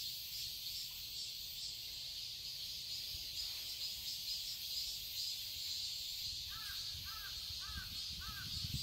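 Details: A dense, high cicada chorus in a Seoul, Korea garden in summer hums on steadily; near the end a crow calls four times at regular intervals.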